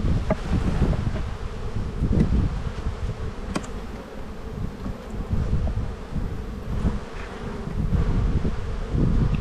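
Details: Spring buildup hive inspection in an Australian bee yard, 7-9-22. Honey bees on an empty frame of the black hive make a continuous low droning hum that swells and fades, with rumbling wind underneath.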